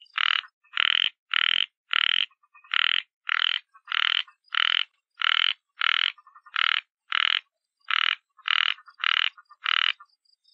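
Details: A frog gives a steady run of about eighteen grating croaks, roughly one every half second, each a short buzzy rasp, in otherwise quiet surroundings.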